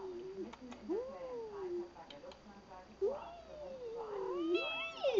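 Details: Persian-mix domestic cat meowing indoors: several drawn-out, wavering meows that rise then slide down, with a higher short mew near the end and a quiet steady electronic hum behind.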